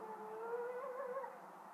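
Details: A coyote howling outside a bedroom window, as it has for three nights running, gives a smooth, drawn-out howl that rises gently and wavers near its peak.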